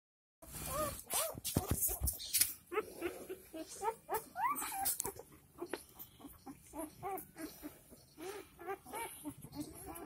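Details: Four-day-old Dogo Argentino puppies in Delhi NCR, a pirate-marked male and a pure white female among them, giving a dense run of high, arched squeaks and whines, several rapid cries each second, with rustling in between.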